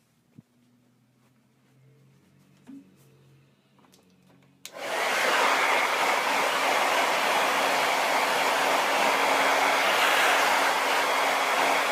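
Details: A quiet room with faint low hum gives way to the steady loud roar of a hair dryer.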